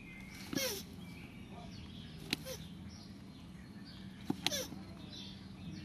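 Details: Land tortoises during mating: a few widely spaced, thin descending squeaks, each tied to a sharp knock, with quiet steady low noise between them.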